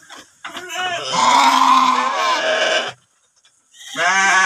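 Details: Male sheep kept in a shed pen, one of two animals awaiting water; one drawn-out trembling bleat lasting over two seconds, a brief pause, then another bleat starting.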